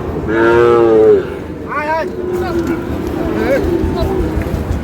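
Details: Sahiwal bull calf at a cattle market in Sirajganj, Bangladesh: one loud, drawn-out, harmonic moo lasting about a second, followed by men bargaining and general market chatter.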